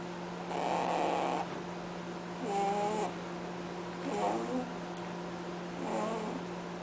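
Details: Honking snores from Cadbury, a rabbit asleep indoors: four drawn-out, nasal, wavering snorts about every one and a half seconds, each lasting roughly half a second to a second, over a steady background hum.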